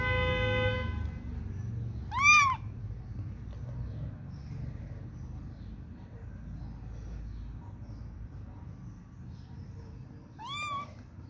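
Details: Little kitten searching for its mother gives two high, arched mews, rising then falling, about eight seconds apart, over a steady low rumble, with a brief horn-like tone at the very start.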